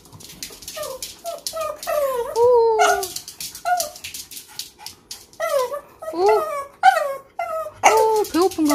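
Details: Leo, a four-year-old Pomeranian kept at home and described as always hungry, whimpers indoors in a series of high, tonal whines that slide downward, coming in bursts separated by short pauses, with faint clicks between them.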